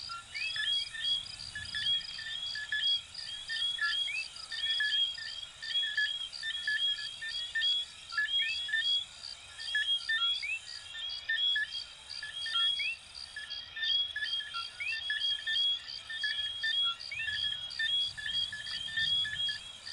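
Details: Chorus of coquí frogs, recorded in Venezuela and Puerto Rico, with numerous callers overlapping in bright, quick upslurred chirps repeated nearly every second, while a continuous high, rhythmic insect pulse runs throughout.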